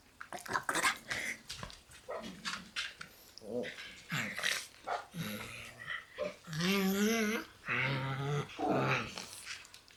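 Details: Black Shiba Inu puppies in a shared puppy room, some born in March, growling and grumbling in rapid bursts, then a long wavering whine, with more growls and yelps throughout.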